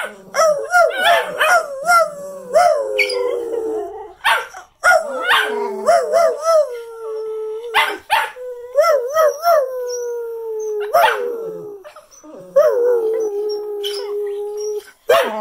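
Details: Cocker spaniels at home in New Jersey at Christmas 2019 howl in long, wavering notes that rise and slide down, with a person howling along.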